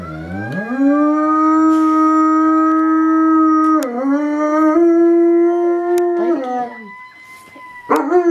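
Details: Dog howling along with a fire siren: a long, steady, tone-like howl held for several seconds, dipping briefly near the middle, then wavering and breaking into shorter quavering notes toward the end.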